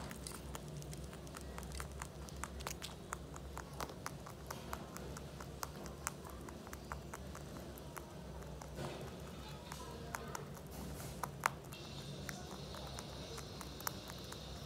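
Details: Mochi, a pet Holland Lop rabbit, munches big hay grass loudly enough to be heard across the room: rapid, uneven crunchy clicks in quick bursts, over a low steady indoor hum and a faint high hiss near the end.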